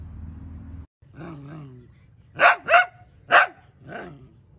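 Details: Dachshund, a pet sausage dog, gives two soft whining, tonal calls, then three loud, sharp barks, two in quick succession and one about half a second later, followed by a quieter bark.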